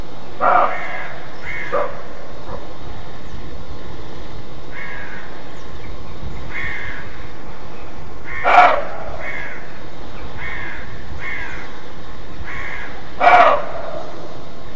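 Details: Roe deer alarm barking, known in German as "Schrecken": harsh, short, rasping barks, two loud ones about four and a half seconds apart, preceded and separated by several fainter, softer barks over a steady background hiss.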